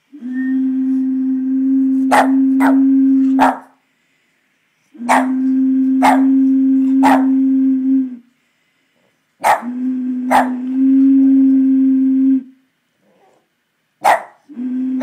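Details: Murphy, a Boston Terrier, cannot stand the noise of a bottle: a steady, low hooting drone from the bottle sounds in long stretches while the dog breaks in with sharp, short barks, often two or three in quick succession.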